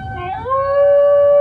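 A Basenji gives a clear, tonal howl that slides upward and then holds a long, even pitch. The smooth, sustained sound echoes a wailing siren.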